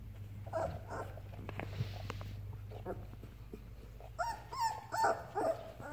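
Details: Labrador Retriever puppy Ripley, learning to walk and starting to play with its mother Halia indoors; thin, whiny whimpers in a cluster of short rising-and-falling squeals near the end, after soft thumps and rustling.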